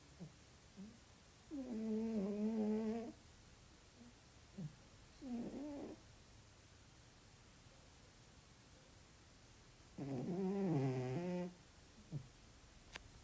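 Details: Garfield, a domestic cat, snoring while asleep indoors: three raspy, harmonic breathing bursts of about one and a half seconds each, near the 2, 5 and 11 second marks, with quiet gaps between them.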